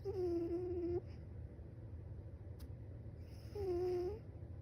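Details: Sleeping cat snoring: two whistled, slightly wavering nasal tones, each lasting about a second, come roughly three and a half seconds apart over a steady low indoor hum, with quieter breathing between them.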